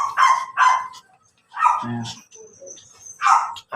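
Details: Pomeranian barking in Labrador, Pangasinan, Philippines: a pair of shrill yaps, a lower grumbling bark, then more high yaps after a quiet gap, with a faint thin whistle-like tone in the background.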